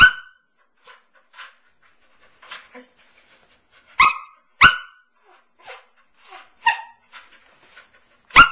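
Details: A young female Samoyed, nine months old, is at home on her favourite couch, seeming flirty. Loud, sharp barks come in scattered bursts, mixed with softer yips and whining sounds, with long quiet gaps between.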